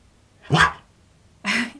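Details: Keyush, a Siberian Husky indoors, talking back while arguing and refusing to sit: two short bursts, a harsh spitting huff followed by a brief throaty grumble with a low tonal edge.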